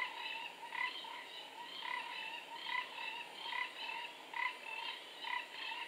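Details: Four-ridged toad calling near a forest pool in Singapore on 15 November 2014; rasping, pulsed notes repeat roughly every second in a steady chorus-like rhythm, with a constant high insect hum behind.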